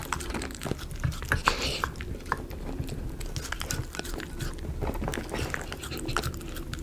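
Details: A Miniature Schnauzer eating chicken pot pie dog food, chewing and biting with wet smacks and irregular soft crunches.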